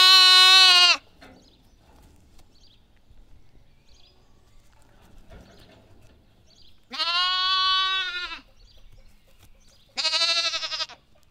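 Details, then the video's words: A young lamb gives three loud, quavering baas, a long pause after the first. The last two come close together, each bright and nasal, over near silence. "Lamb Baa"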